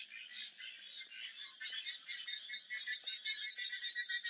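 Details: Dense frog chorus with rapid, rattling high croaks from numerous callers. The overlapping calls merge into a steady, fizzing wall of sound.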